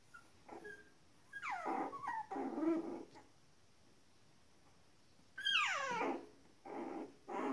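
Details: Whining of 19-day-old Shetland Sheepdog puppies: drawn-out, high, falling whimpers in two main bursts, each sliding downward and trailing into softer, lower moans, with quiet gaps between.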